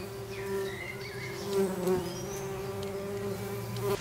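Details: Buzzing from a tree bumblebee nest, a continuous low droning tone with layered overtones that swells briefly around the middle, with a soft wavering high whistle early on and light rustling.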